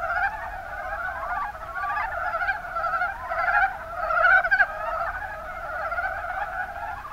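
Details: Kuma Basin, Kumamoto, Japan: Mountain brown frogs, Rana ornativentris, in full chorus, their pulsed, guttural chuckles merging into a constant drone that swells to a louder cluster of calls around the middle.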